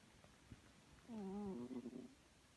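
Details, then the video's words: Sleeping pet cat named Chloe gives a single drawn-out snore, a buzzy, slightly wavering tone lasting about a second and trailing off in rough flutters, set against a quiet indoor background. "Chloe snoring"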